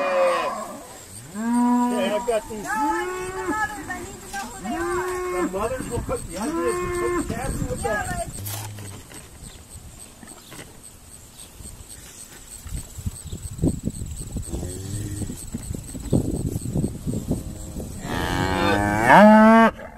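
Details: Irish Dexter cows calling while being sorted on a busy farm day; a run of rich, repeated moos in the first seven seconds, quieter rustling and low noise mid-way, then a loud drawn-out bellow at the close.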